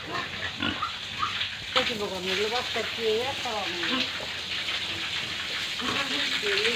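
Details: Pigs and piglets on a Tripura pig farm squeal in quick, bending, harmonic bursts that rise and fall repeatedly after a noisy start, with constant hissing farm noise underneath.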